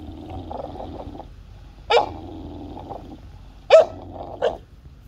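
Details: During a tug of war, a 5-month-old American Bully puppy and a 2-year-old Golden Retriever; a low murmuring growl followed by two abrupt barks and a short yip.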